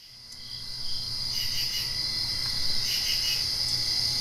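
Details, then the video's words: Crickets at night directly after rain, fading in from quiet to a steady high shimmering trill, with brighter pulsed chirp bursts from about the second mark onward; no other animals or people heard. "Crickets Chirping"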